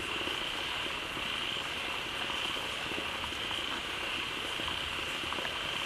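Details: A large group of frogs quickly gathered at a pond newly filled by falling water calls on without pause, overlapping low croaks and brief pulses beneath a continuous high, ringing drone.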